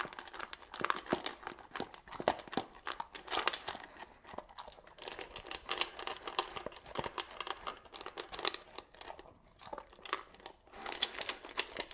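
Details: Indoors, a dog gulps dry food without chewing, making dense crunching, crinkling and rustling noises with no vocal calls.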